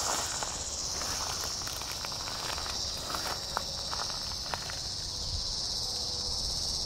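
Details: Tibicen dealbatus cicada giving a distress call while being eaten alive by a praying mantis at Sand Hills State Park, Kansas, August 3, 2010, in a 106-degree heat wave; steady high, hissing buzz throughout, with faint clicks and rustling.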